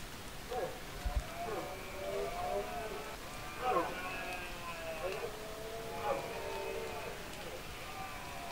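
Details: Rutting red deer in the 2024 berrea season, giving a series of sustained groaning roars that repeat roughly every one to two seconds, each a low droning tone with layered harmonics, set against a noisy open-air background.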